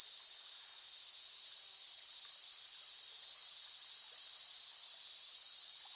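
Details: Cicadas buzzing in a continuous shrill, high drone with a faint rapid pulsing throughout. Loudness stays even and no other sounds are heard.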